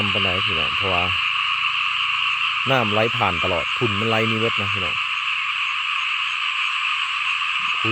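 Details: Rice-field frogs, known locally as khiat mo or khiat na, calling on a cloudy day before rain; rapid grating croaks come in clustered bursts, with a low hum and a constant shrill background hiss throughout.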